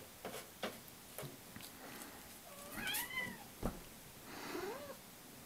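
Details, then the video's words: Pet cats indoors demanding their breakfast, giving a few soft, bending meows that rise and fall, with light tapping and footsteps in a small room. "Gimme food meow!"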